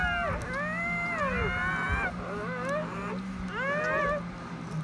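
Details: Newborn German Shepherd puppies at their birth, the mother's labour having run from 5 a.m. to nearly afternoon; squeaky, arching whines rise and fall in short bursts over a steady low hum.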